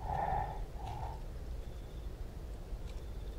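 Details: Southern white rhinoceros in the South African bush, panting as it approaches a rival: low breathy exhalations with a faint hum, steady rumbling background.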